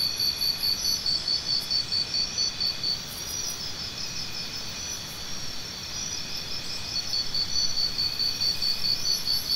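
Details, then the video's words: Crickets chirping, offered as natural sound therapy for tinnitus relief: a high, steady pulsed chirp train in rapid rhythmic bursts, fading briefly mid-clip and then returning, with a faint higher trill above and a low background hum. "Try Listening to Cricket Sounds"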